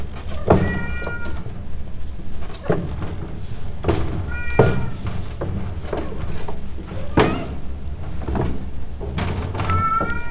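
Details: Male cats give short, bright meows with a slight upward bend, repeated every one to two seconds and mixed with thuds and knocks in a room.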